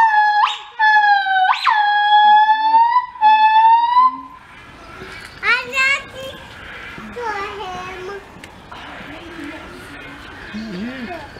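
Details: A gibbon at London Zoo, 24 March 2014, sings loud, pure whooping notes that swoop sharply upward, followed by chattering human voices.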